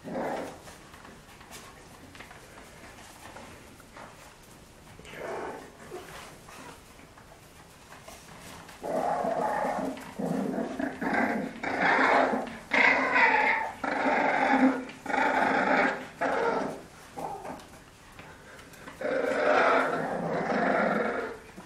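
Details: Playful scuffle between French Bulldogs, quiet at first, then loud raspy growls in repeated bursts through the second half.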